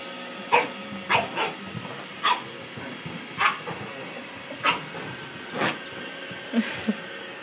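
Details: Pug barking at a robot vacuum cleaner: short, sharp barks, about eight across seven seconds, spaced irregularly at roughly one-second gaps. A couple of softer, lower yelps come near the end over steady background noise.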